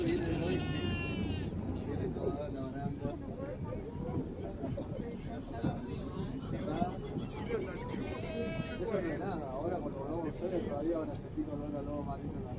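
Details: Sea lions in the Beagle Channel at Ushuaia give hoarse, rumbling, bleating Chewbacca-like calls that rise and fall, with people talking throughout.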